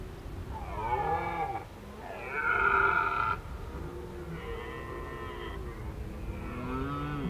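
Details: Red deer voice in autumn, Krasny Bor, 1 October 2015, in Indian summer. Several strong, hoarse bellows come in a series: a bending groan, a loud sustained roar, then quieter drawn-out calls with a low rumble beneath.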